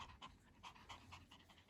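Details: Pomeranian Hendo, a two-year-old male dog celebrating his birthday, pants in quick, soft, breathy puffs about five times a second, steady and even, with no other sounds.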